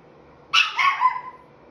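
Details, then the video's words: Five and three-quarter month old Chihuahua talking: a single bright, high yap that bends into a warbling, descending moan, quiet background. "Chihuahua: Chocolate, what are you talking about?"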